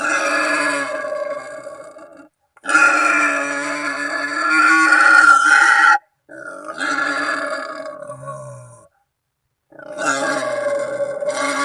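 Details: Calling wild boar, used as a hunting lure to bring in companions or rivals; rough, sustained grunting squeals with rich overtones, each several seconds long, broken by sudden silent gaps.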